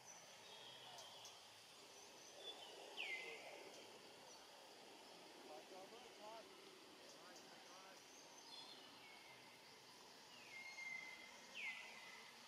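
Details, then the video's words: Young monkey Rainbow, sad and hungry, keeps calling for its family: scattered high whistles that dip then hold level, several spaced over about twelve seconds amid a soft rural background hum. "Young Rainbow Very Sad, Lonely and Hungry Keep Looking Around and Calling For Family, Poor Monkey"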